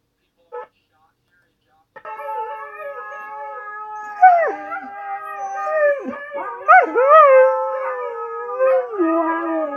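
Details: Siberian Husky howling: after a brief yelp, a long sustained tonal howl with rich harmonics, bending and wavering in pitch, rising and dipping through several swoops before sliding lower at the end.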